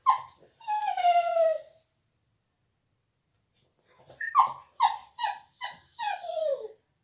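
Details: Shut out of the salon while a visitor is present, the dog Bella cries indoors: a long drawn whine sliding downward, silence, then a string of five or six choppy falling whimpers ending in a longer wail.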